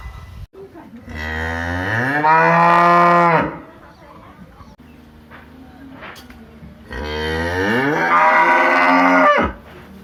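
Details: A big village cow gives two long, loud moos, each rising in pitch then holding steady. Cow.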